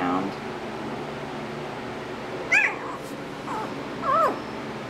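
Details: One-week-old puppies in a litter, wobbling around and looking for each other indoors; two short, high, wavering squeals rise and fall about two seconds apart over faint room noise.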